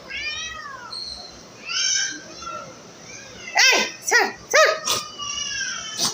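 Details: Pregnant domestic cat indoors, giving a run of drawn-out, falling meows followed by several loud, sharp, abrupt cries in quick succession, with a woman speaking Bengali to the animal throughout.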